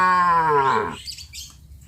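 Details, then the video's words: Tame village cattle on their morning walk to green grazing pasture: one long moo, loud and full, sliding gradually downward before cutting off into quiet. "Suara sapi lembu"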